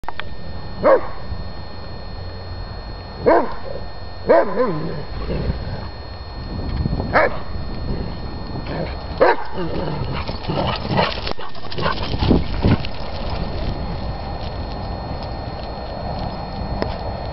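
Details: Two Dobermanns, one black and one red, playing together; a few short, sharp barks or yips near the start, then scuffling and rustling noise as the romp continues.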